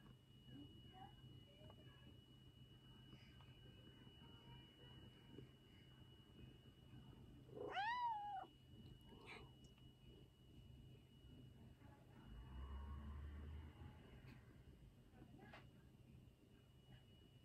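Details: Former stray cat, now very affectionate toward its owner, gives a single rising-then-falling meow indoors midway, with a steady electrical hum and low background noise throughout.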